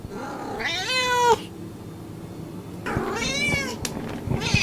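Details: Two drawn-out cat meows, each swelling and then dropping in pitch, heard against a constant rumbling, noisy background.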